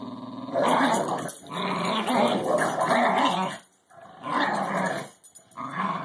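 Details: An English Bulldog and a Cairn Terrier growl while playing tug-of-war with a rubber ball filled with other rubber balls; rough, rumbling growls come in long bursts of one to two seconds, broken by brief silent gaps, indoors.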